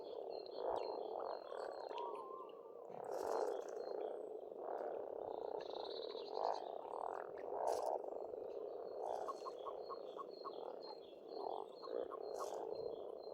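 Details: Dense spring frog chorus at a pond on a farmstead in Estonia, a steady low rolling croak filling the air, with bird song above it: repeated high whistled notes and short chirping phrases.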